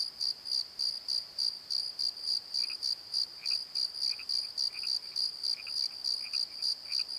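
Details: Crickets at night in a valley bottom: bright, sharp pulsed chirps about three per second, joined in the second half by scattered lower chirps.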